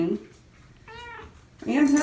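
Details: A female domestic cat, a mother rescued from a hoarding situation who is caring for kittens, protests at being cleaned. She gives a clear, even meow, then a louder, harsher wail, with a person's voice close by.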